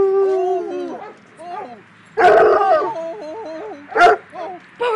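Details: A Bloodhound visiting a Black and Tan Coonhound at a dog park, January 2010: the two trade wavering, mournful howls in a welcome 'song', their voices rising and dipping in a sing-song pattern.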